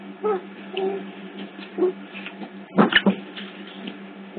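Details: Otter pups at Hertfordshire Zoo, picked up by hidden CCTV cameras: a few short, tonal whimpering calls in the first two seconds, then a cluster of sharp clicks and squeaks near the three-second mark, over a steady low electrical hum.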